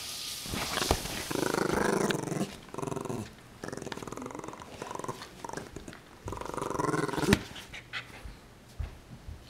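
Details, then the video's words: Sammy the puppy growling while playing tug of war, recorded July 25, 2011; bursts of rough, low growling last one to two seconds each, separated by short pauses, with scuffling and tugging noises throughout. "Cute Puppy Sammy Tuggle War!"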